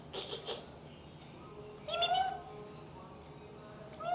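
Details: Pet cat indoors, teased during play until it got mad and hid behind a pillow, gives one short, tonal meow that rises then falls, with fainter meows before it and at the end; brief rustling noises open the recording.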